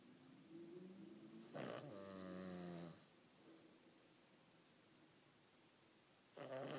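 A Cavalier King Charles Spaniel snores in long, rattling, buzzy breaths while sleeping indoors.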